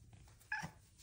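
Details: Female pet Bengal cat indoors giving one short chirp, a quick bright mrrp-like note with a slight upward inflection, lasting well under a quarter second against a quiet room background.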